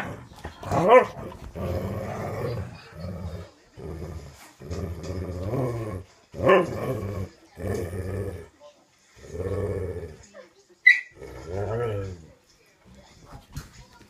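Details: Dogs at play: a run of throaty, harmonic growling bursts about a second long, separated by short pauses, with sharp higher yelps cutting in near the start, the middle and toward the end.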